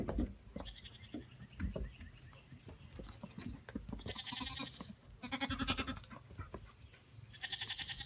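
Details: Baby Pygmy goats playing around, giving several nasal, harmonic bleats in short bursts amid scuffling and thumps, with human voices briefly nearby.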